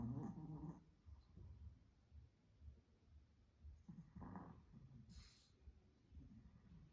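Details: Small Spitz dog snoring in its sleep indoors, with two rough, low rattling snores several seconds apart and soft, irregular breathing noise between them.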